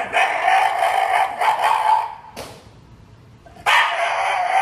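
A Shiba Inu lets out a long, tremulous, high-pitched whining cry that wavers for about two seconds. After a brief quiet gap, the same strained vocal sound resumes.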